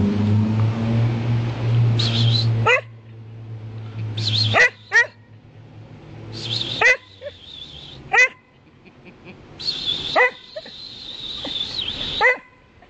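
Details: Samoyed, a male dog, at a park giving several sharp barks or yips spaced a few seconds apart, with a whistled tone near each burst; a man talks to the dog in a low voice through the first half.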